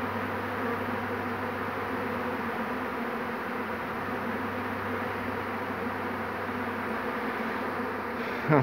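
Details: Honey bee swarm, second of the day, caught on 2 June 2019: steady massed droning hum with a low constant undertone, ending in a short louder buzz close by.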